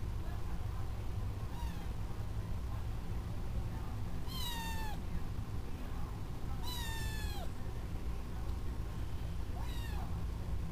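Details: Newly adopted young male kitten mewing indoors: four clear, drawn-out meows, each sliding downward in pitch, spaced about two to three seconds apart over a constant low background hum.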